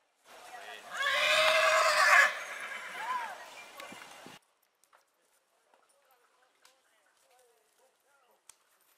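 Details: Horse neighing in spring: a loud, shrill, harmonic whinny lasting about three seconds, wavering and then trailing off, followed by near silence with faint scattered clicks and a few soft chirps.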